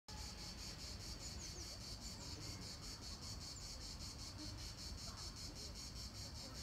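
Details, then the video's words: Cicadas singing in the park of the Palais du Gouverneur in Nancy, France, at the end of July 2017: a high, dry buzzing pulsed about three times a second, continuous throughout, over a low steady rumble of distant city noise. "Cigales à Nancy, fin juillet 2017; parc du palais du Gouverneur."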